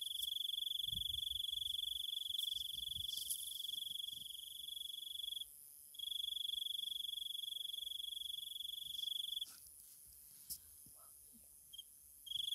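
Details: Loud, clear night-time insect song from Thailand: a piercing steady trill that stops for about half a second twice and then fades lower. Faint higher buzzing sounds in the background.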